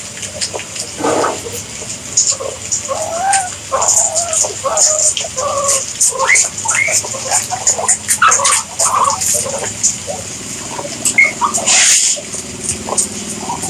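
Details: Guinea pigs squeaking in a busy chorus, short rising and falling chirps and squeals overlapping rapidly, with a steady high hiss and some rustling in the background.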